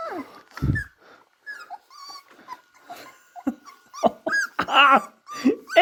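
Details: Three-and-a-half-week-old beagle puppies at play, uttering short growls, squeaks and a few louder yelping whines in quick irregular bursts, with a thump early on.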